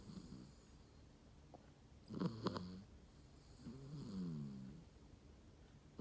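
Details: Shiba Inu dog snoring while asleep: two rasping, harmonic snore breaths around mid-clip, the first with sharp fluttering pulses, the second a smoother drawn-out wheeze, plus a short snort at the start.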